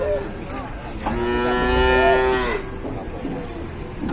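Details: A large cow lying down and unable to get up, its owner worried, in Indonesia; one drawn-out, tonal moo of about one and a half seconds with rich harmonics, while people talk quietly before and after.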